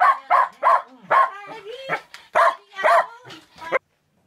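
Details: Shetland Sheepdog named Olson, excited before a car trip for year-end shopping from France to Germany, gives a rapid run of sharp, loud barks, about ten in under four seconds, with whiny high tones between them.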